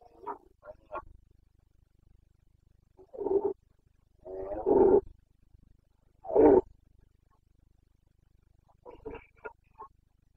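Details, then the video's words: Red deer stag of the Carpathians, Bucovina, Romania, roaring in the autumn rut (boncănit), 29 September 2022. Short grunts open, followed by three hoarse, harmonic roars in quick succession, then a broken, choppy call. "Boncănit / Carpathian stag Breeding season"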